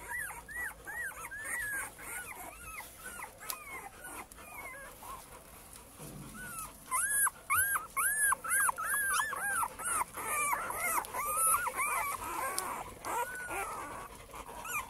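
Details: Male Cane Corso puppies from litter J at Maxima lux kennel whimper and yelp in rapid overlapping arched squeals, a dense run of high whines that pauses briefly near the middle, then resumes.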